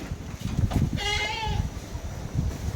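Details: Hungry goat in Taiwan, fed paper mulberry and mulberry leaves, gives one clear, drawn-out, slightly wavering bleat lasting about half a second. Low rumbling handling noise and brief voices surround it.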